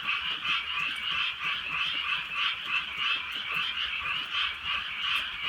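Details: Night chorus of frogs in rural countryside during a gentle rain: many voices croaking together in fast, wavering pulses, a constant rattling wall of sound.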